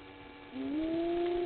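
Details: A side-striped jackal at Gowrie dam waterhole, Djuma Game Reserve, Sabi Sand, South Africa, gives a drawn-out tonal call that slides upward then holds, at 20:37 on 06/05/21.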